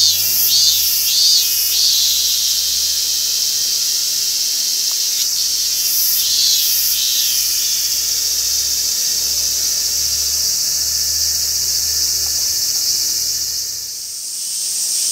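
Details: Robust cicada (Hyalessa maculaticollis), Gaikotsu-yama, Japan, August 2021: a few high, pulsing buzzy notes at the start give way to a continuous shrill drone that dips near the end.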